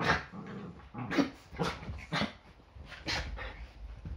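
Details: Yorkshire Terrier in a Sunday-morning play fight, something that happens almost every day before breakfast: short throaty growls and snarling yaps about once a second, uneven in rhythm, with low rumbling between them.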